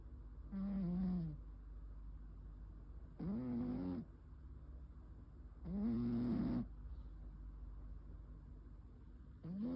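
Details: Sleeping domestic cat snoring, recorded on 9 May 2026; four raspy breaths with a faint tonal edge arrive about every two and a half seconds, separated by quiet hiss.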